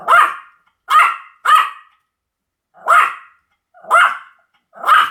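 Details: Six shrill barks from a Pomeranian, several coming in close pairs separated by roughly a second of silence.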